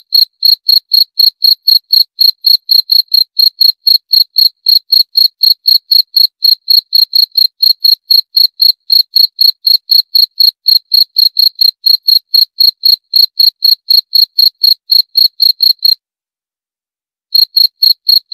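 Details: Cricket chirping steadily, short high-pitched pulses with a bright overtone, about four per second, pausing briefly near the end before resuming; no other sounds.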